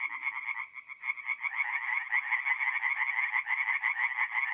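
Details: April night at a forest pond in north-east Italy: tree frogs call in a loud, buzzing chorus of rapid pulses that swells after a slightly thinner opening.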